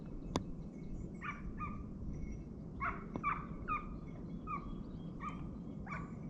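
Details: Kopay hounds give chase on a hare hunt at the opening of the 2023-24 hunting season. Faint, far-off yelps come in scattered bursts, with one sharp click near the start and low rumbling ambience throughout.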